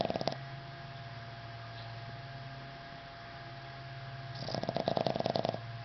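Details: Henry, a Boston Terrier, snoring indoors: a low steady rumble, with pulsed, throaty bursts of snores at the start and again near the end, over a faint constant electrical hum.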